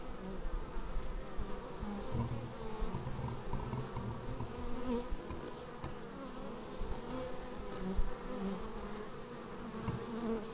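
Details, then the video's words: Many bees arriving at the hive entrance, raw action-camera sound: a continuous dense buzz of overlapping wingbeats, low and even, with small fluctuations as individual insects pass. "Bees arriving at hive"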